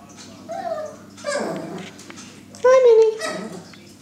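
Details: Two seven-week-old puppies scrapping in play; short growly and whiny vocal bursts, then a loud sustained whine-like yelp sliding slightly downward near the end, with low background hum.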